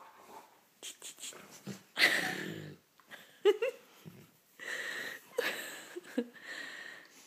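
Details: Slider, a dog being roused from bed in the morning, makes a run of yawning groans, wheezy grumbles and short snorting sounds, some Chewbacca-like, in a quiet room.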